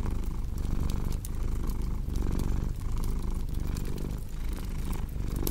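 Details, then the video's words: Cat purring beside a fire: a smooth, low rumble rising and falling with regular breaths, accompanied by continual crackle and occasional louder pops from burning wood. "Purring Cat with Cozy Crackling Fireplace Sound"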